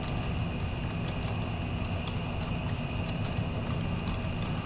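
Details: A short stretch of cricket chorus following a passing storm, one even high trill held without breaks against the broad low drone of an air conditioner.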